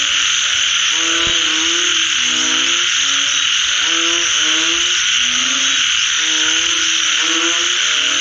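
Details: Frogs heard after rain: repeated low, harmonic croaks in quick overlapping bursts, one brief click near the start, carried over a steady intense high buzzing chorus throughout.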